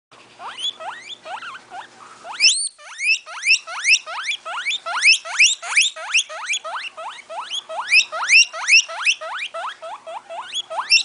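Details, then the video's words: Guinea pig (Cavia porcellus) giving a rapid series of rising squeals, each a sharp upward sweep repeated several times a second, quieter at first then louder and denser after a brief break. "Son du Cochon d'Inde (Cavia porcellus)"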